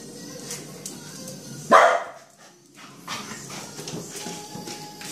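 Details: Bull Terrier playing with a cockroach during the day lets out one sharp, loud bark, followed by quiet tapping and scuffling, with a faint steady tone and music-like sounds in the background.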